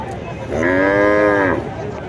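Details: A single long, level bellow from cattle at Kuchiya Mara's cattle and goat haat, dated 26/5/2026. The moo lasts about a second, then fades into the low hum of a crowded market.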